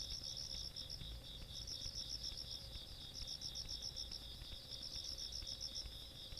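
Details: Rural night insects, 17 August 2022: bursts of quick high-pitched pulsing that pause briefly between runs, over an unbroken shrill trill and low background rumble.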